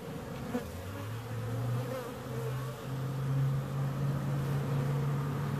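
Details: Bees buzzing, with a deep, loud drone that rises and falls in pitch as one flies close, over a softer background hum.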